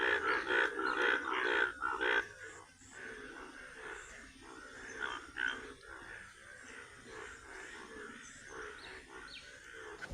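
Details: Indian bullfrogs behind a house in the rainy season, yellow-coloured and out in the morning though usually active at night, give loud grunting, pig-like croaks about twice a second; a child mistook the sound for a pig.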